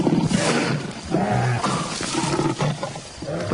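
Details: Wild lions in the darkness as older brothers arrive among playing cubs; a dense, continuous snarling roar with deep rumbling and harsh rasping bursts, loud throughout the few seconds.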